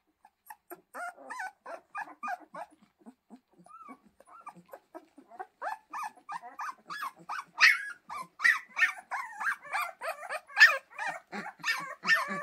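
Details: A chorus of yipping and whimpering from Pyrenean Mountain Dog puppies, starting scattered and soft, then growing into dense, louder overlapping yelps and squeals during the second half.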